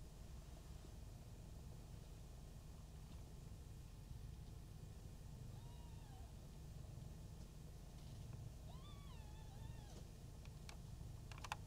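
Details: Brown Maine Coon kitten Mii-chan, one month old, at a Tokyo breeding cattery; a short thin mew near six seconds, then a longer wavering, falling-and-rising mew around nine seconds, over a steady low indoor hum.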